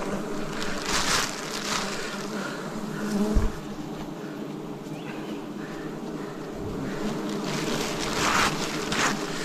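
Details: Many wild bees humming loudly as forest honey is harvested in 2026; the drone stays constant and full, swelling slightly near the start and end, with a single thud and light hissing rustles.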